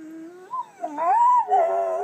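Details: Pet dog "howl whispering" while talking with its owner, a skill learned over about a month: a quiet, tonal howl that starts low and steady, then rises and bends up and down in smooth, wavering glides, with a brief break midway.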